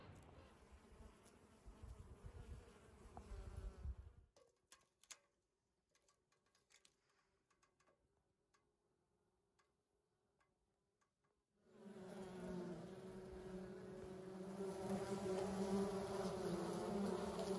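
Honey bees give a steady, humming buzz that swells loud after a quiet pause.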